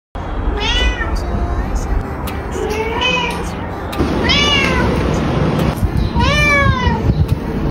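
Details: Cat meowing repeatedly, a series of rising-then-falling harmonic meows roughly every one to two seconds, over steady low background noise with a faint high whine.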